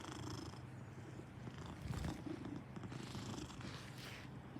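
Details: Maine Coon purring with a steady, low rumbling drone that holds throughout, with faint soft rustles above it.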